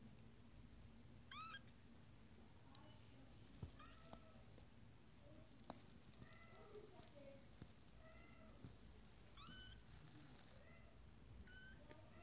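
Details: Several 20-day-old Abyssinian kittens of a first litter, exploring a playpen, give thin high meows, some rising then falling, scattered through the recording and overlapping, over a low background hum and soft rustling.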